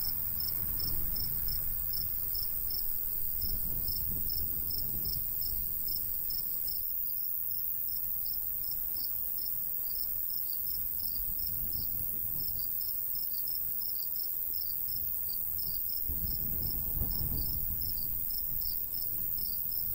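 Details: Cricket chirps in summer countryside by a golden wheat field, a rapid high pulse repeated about three times per second throughout, over a shrill insect drone and gusts of light breeze.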